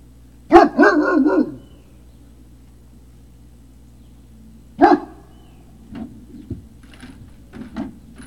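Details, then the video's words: Great Dane puppies on a hill, recorded 3 May 2019 in the early evening: one loud harmonic bark-yelp, a second sharp bark a few seconds later, then several quieter short barks and yips, with a steady low hum beneath. "Great Danes Puppy Hill"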